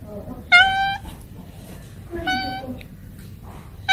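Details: Cat and kitten meows: two loud, harmonic, level meows about half a second each, separated by a quiet gap, with a faint low hum underneath.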